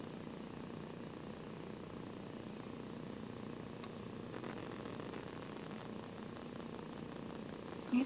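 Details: Eight-week-old foster kitten, one of the pair Sanibel and Sunny, drowsing indoors after play; quiet continuous low purring holds steady for several seconds, with a short soft sound at the very end.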